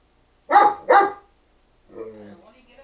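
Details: A dog barks twice in quick succession while trying to get another dog to play; after a pause, softer voice-like or whining sounds follow.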